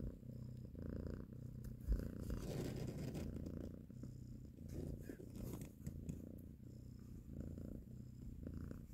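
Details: Nursing mother cat caressing her kittens, purring loudly and close; deep rhythmic rumbling purr with breathy in-and-out cycles, no other clear sounds.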